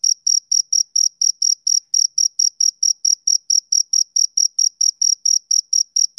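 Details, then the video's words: Male cricket chirping in a steady, rhythmic series of short, very high-pitched pulses, a little over two per second, with a fainter higher overtone and no other sounds. "Cricket Chirping Sound Effect"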